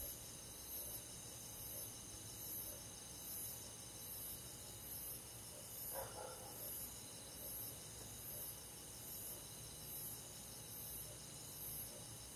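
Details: Steady nighttime insect chorus in summer, crickets among forest bugs, layered high trills with a shrill pulse recurring about every second; a short brighter chirp stands out near the middle.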